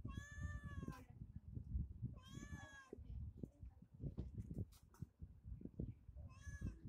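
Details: Pet cat meowing while eating chicken: two long, tonal meows about two seconds apart, then a shorter one near the end, with constant low thumping and crunching noises between calls.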